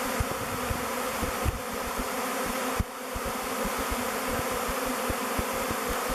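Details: Thousands of honey bees swirl as a swarm around the log hive Bee Beard, choosing it as their new home: a dense, steady, low humming drone with soft thumps and brief dips in loudness.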